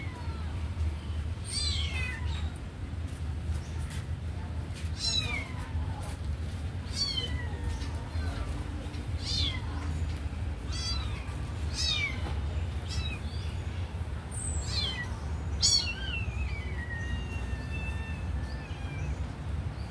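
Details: Kitten that loves watching a sleeping puppy meows repeatedly, high thin descending calls roughly every second, some overlapping, over a steady low hum of background noise.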